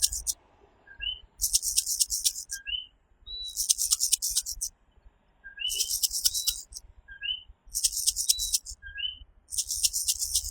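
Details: At night in Puerto Rico, a coquí tree frog gives clear two-part calls, a low note followed by a rising higher one, about five times, interleaved with harsh shrill buzzing bursts that dominate the chorus.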